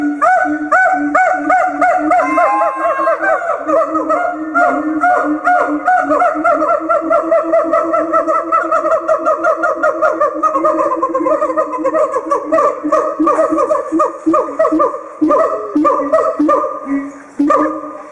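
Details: Siamang (Symphalangus syndactylus) song: loud, rhythmic, honking barks in quick succession, rising and falling in pitch.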